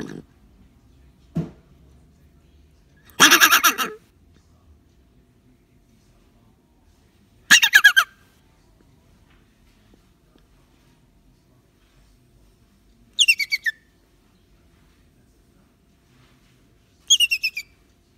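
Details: A captive Little Rock Hyrax (Dassie), awaiting release and startled by a raised hand while eating apple, gives loud, harsh, rattling complaint calls in short bursts with long quiet gaps, continuing for minutes.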